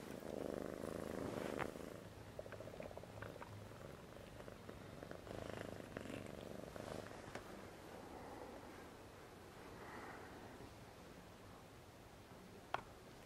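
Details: A Siamese cat on its first day in its new home purrs steadily, a low rhythmic rumble pulsing several times a second.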